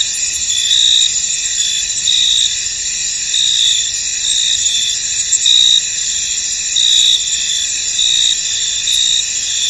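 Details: In a fog-covered field, a mass of crickets keeps up a shimmering, high-pitched continuous buzz, with louder chirp bursts surfacing roughly every second or so, loosely spaced.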